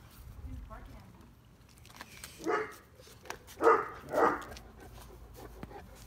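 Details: Male Neapolitan Mastiff puppy, eight weeks old, guarding a yard at night on 26 July 2019, barking at his unrecognised mother as if at a stranger; soft murmuring voices, then one bark followed by two quick harsh barks, recorded on a phone.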